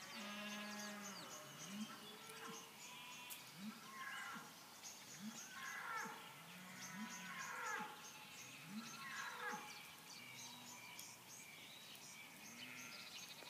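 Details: Sheep in the countryside at night, several animals bleating; low, wavering bleats follow one another roughly every two seconds, overlapped by higher, harmonic calls, under a steady background hiss.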